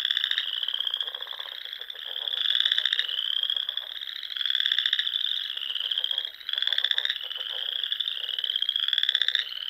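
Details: Spring frog chorus in the Nebraska Sandhills: overlapping, high, buzzy trills rise slightly in pitch, with bursts of quicker clicking pulses underneath, and the loudness surges and dips every few seconds.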